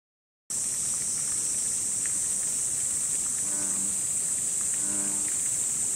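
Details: An American bullfrog calls at Ubagaike pond in the castle ruins park at Sakura, Chiba, Japan, giving two deep, droning notes against a steady high hiss.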